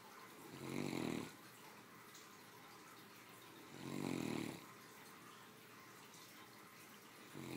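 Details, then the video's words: Sleeping female Great Dane, three years old, snoring comfortably after a midday meal; three low, grating inhalations spaced roughly three seconds apart, each swelling and fading, over a faint steady background. "My 3 yr old snoring after a hardy lunch"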